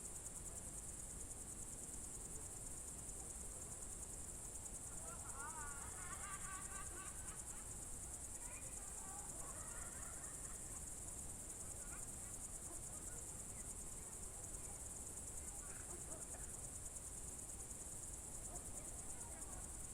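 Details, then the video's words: June 2023 evening in Novgorod Oblast's Novye Buregi tract: crickets keep up a continuous high, buzzy trill while a bird warbles and twitters more loudly for several seconds in the first half, then sporadic faint notes. "Звуки природы , сверчки, июнь 23г."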